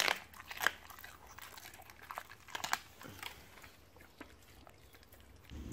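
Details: A Siberian Husky crunches raw chicken and beef bones, fed to it as a reward. Quiet, sharp, irregular bites and cracks come roughly twice a second.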